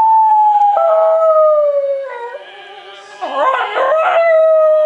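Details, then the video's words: West Highland White Terrier joining an operatic performance of O Soave Fanciulla: a sustained, slightly falling howl, a brief lull, then a burst of wavering notes before a steady closing howl, with opera singing throughout. "Howling Opera Dog"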